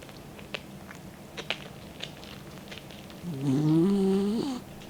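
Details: Faint clicks and breathing, then a loud one-second snore rising in pitch with a hissing edge, from the 16-year-old dog Mick sleeping with his tongue hanging out.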